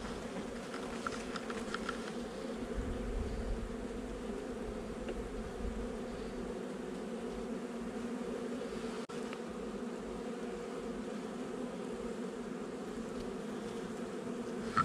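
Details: Inside a honey bee nuc during a 8 July 2020 inspection, about a month after installation: a steady, thick drone of many bees, with faint higher buzzing early on and a single dull thump partway through.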